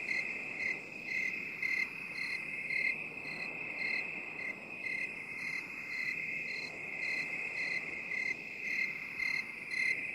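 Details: Cricket sound in binaural 8D form. A steady shrill ringing tone carries evenly spaced pulsed chirps, about two each second, that swell and fade gently in loudness.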